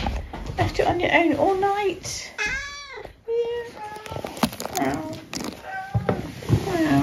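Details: Eric, a tabby cat left on his own all night, greets his returning people with a single arched, rising-then-falling meow in a brief gap between their voices; indoor room with steady talking and handling noises throughout.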